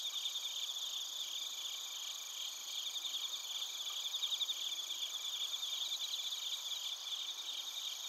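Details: Bell crickets and other crickets chirping near Narita, Chiba, Japan, captured on a TASCAM Portacapture X8: dense high-pitched chorus with rapid pulsed trills and steady ringing tones layered over one another, a few louder pulse bursts near the middle.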